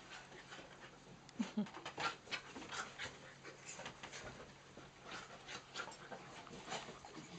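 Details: Playful dogs, miniature dachshunds Nellie and Mrs Moo with cockers Rosie and Lucy, on Nellie's third birthday: quick, uneven panting huffs, several per second, plus faint voices and scuffling.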